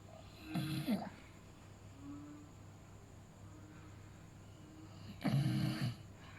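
A beagle snores in two rough, rattling bursts, with a quiet, breathy pause between them.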